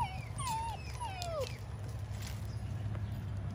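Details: Doberman Pinscher facing a cat gives two thin, high whimpering whines, each gliding downward over about half a second, within the first second and a half, followed by quieter low rumbling background noise.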